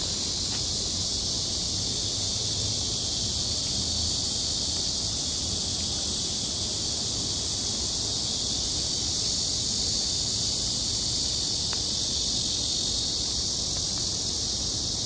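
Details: Cicadas keep up a steady, high, hissing drone without breaks over a soft low rustle like damp leaves or dripping rain, on a rain-soaked forest path.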